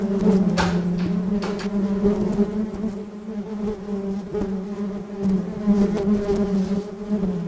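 A honey bee gives a steady, low droning buzz that swells and fades as it moves close.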